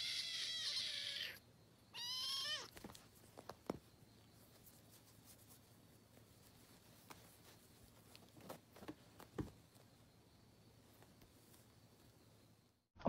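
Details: A domestic cat meows twice at the start: a long, high, drawn-out cry, then a shorter wavering one with a falling tail. Afterwards only faint clicks and taps are heard in a quiet room.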